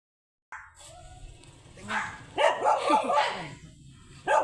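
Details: Sanji, a blue-line Shih Tzu, outdoors on a sidewalk in San Carlos City, Pangasinan, gives a short burst of about four quick harmonic barks after a quiet start, with a final bark at the end over low street background.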